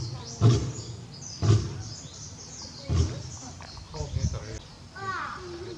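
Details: Barry, a male lion at Tobe Zoo, recorded 5 October 2021, roaring with full force toward the backyard, still calling for the absent Daisy; deep low grunting roars come about once a second, with people chattering nearby and a rising voice near the end.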